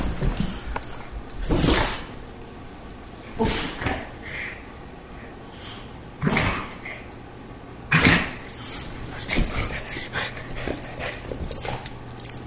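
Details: Greyhound wrestling with a Boston terrier, a near-daily game between the two pets; about six rough, broadband bursts of snorting and growling arrive every two seconds or so, separated by quieter panting and a faint hum.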